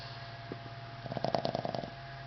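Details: Boston Terrier Henry snores with one brief fluttering snort, a rapid run of pulses lasting under a second against a constant low background hum.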